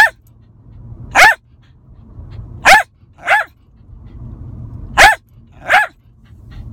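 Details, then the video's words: Lakeland Terrier barking in a car, loud abrupt yaps coming singly or in pairs about a second apart, with a constant low rumble of the moving vehicle underneath. "Barking in the car"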